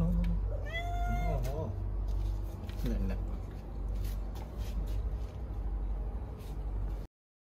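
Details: Stray cat giving birth to kittens; a high, clear meow slides down, followed by shorter, wavering mews around the third second, over a steady low hum.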